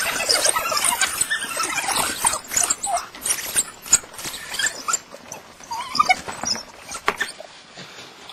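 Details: Several African wild dogs feeding at Harnas, Namibia: shrill squeals and high twittering cries crowd the first half, then thin into scattered sharp yelps and chirps with quieter gaps toward the end.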